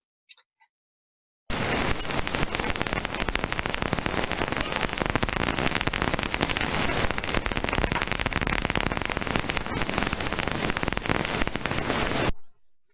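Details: Daubenton's bat (Myotis daubentonii) echolocating while flying very straight and close to the water surface, heard on a heterodyne bat detector tuned to 35 kHz: a fast, dry, unbroken crackle like machine-gun fire or marbles on stone.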